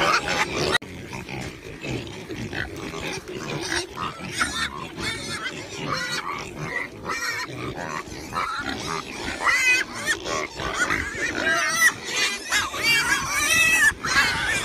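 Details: Pig. Several pigs call at once, mixing harsh, nasal grunts with higher, wavering squeals. The short bursts come thick and irregular, several every second, with little pause between them.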